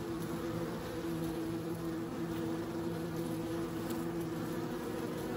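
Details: Bees humming in a steady, continuous drone with layered low tones, a dense, unbroken buzz throughout.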